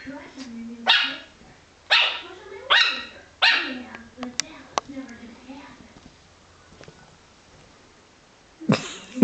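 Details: A female Yorkshire Terrier puppy barks at a wall after breakfast, giving a run of high, sharp, yappy barks with brief whiny tails.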